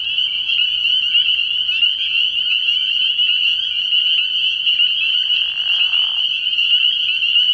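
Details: Spring peepers in full night chorus at a frog pond early in the year, shrill overlapping peeps forming an unbroken high ring, interrupted near the end by a short lower raspy call.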